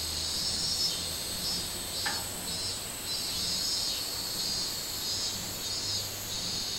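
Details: Minmin cicada singing on 24 July 2016 in summer: a steady high, shrill buzzing drone with faint pulsing, running unbroken through the clip over a constant background hiss.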